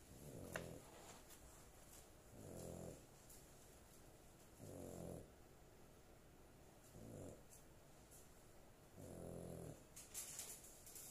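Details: A female pet dog snoring in her sleep indoors, deep, low rasping breaths repeating about every two to two and a half seconds, each a rumbling snore lasting under a second, with quiet breathing between.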